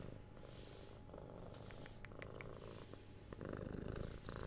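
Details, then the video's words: A six-month-old house kitten purrs under head scratches and cuddles; quieter low rumbling purr throughout, overlaid by soft scratching and a few light kiss-like clicks. "Cat Purring"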